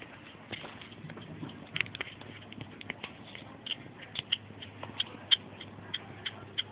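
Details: Hedgehog eating and making odd noises: a run of short, sharp clicks and smacking sounds at uneven intervals, some louder than others, over a faint steady low hum.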